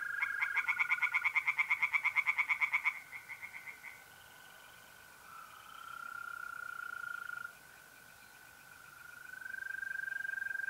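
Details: Pond-side tree frog in North-East Italy, mid-April at night, gives a loud three-second train of fast rasping pulses that fades out, leaving the unbroken high trill of mole crickets.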